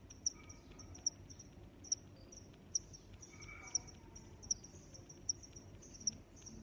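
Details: Cricket chirps repeat about every 0.8 seconds at a high pitch, while a brief faint whistled sound, possibly another animal, appears midway over a quiet low background.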